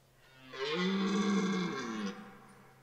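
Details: Red deer stag bellowing during the 2023 rut at Parc naturel de Boutissaint, France: a single loud, deep, drawn-out roar of about one and a half seconds with a rough, harmonic-rich tone, rising then fading, over a faint steady low hum.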